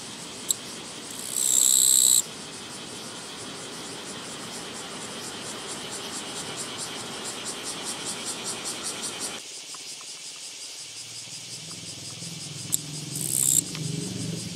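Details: Japanese katydid on a walking path, 24 August 2017: a short, high, buzzing trill early on and a brief second burst near the end. Steady background hiss, then low rumbling noise in the second half.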